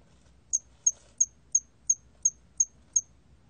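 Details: Hairy cricket (털귀뚜라미) from Korea's National Institute of Biological Resources, 2020: a steady run of eight short, high, sharp chirps, one about every third of a second, over a quiet low hum.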